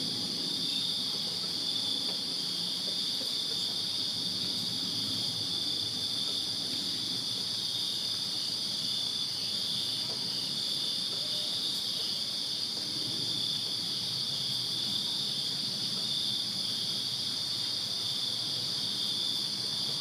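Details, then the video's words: Backyard chorus of crickets on a Virginia summer night, a steady shrill shimmer that never pauses, layered high and higher, with faint low background hum beneath. "Crickets Chirping Summer Night in Virginia"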